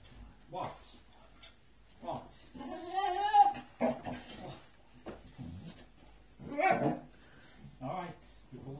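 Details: A one-year-old male Staffordshire bull terrier, impatient for his walk, lets out a long, quavering, vocal whine in the middle of the recording. His owner's chatter and shuffling fill the rest of the time indoors.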